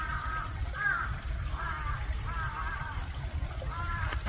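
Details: A male Asian small-clawed otter walking around at Chiba Zoological Park gives short, wavering whiny squeaks, about five in four seconds, over a steady low rumble of running water; the first time the observer heard its voice.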